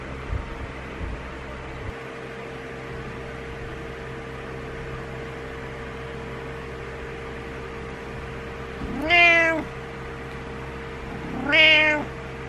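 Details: Morning wake-up meows from a pet cat frustrated that its owner is still in bed; after a long quiet stretch with a steady hum, two short, bright, strained meows come about two and a half seconds apart.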